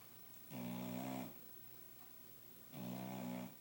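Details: Ruby, a dog, snoozing curled up on the couch after a late-afternoon bath. She gives two low, buzzy, droning snores, each lasting under a second, about two seconds apart, with quiet breathing between.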